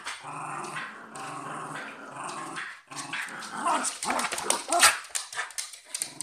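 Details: Cocker spaniel and westie fighting: a steady, low, rumbling harmonic growl holds for about three seconds, then breaks into louder, ragged snarling and scuffling bursts.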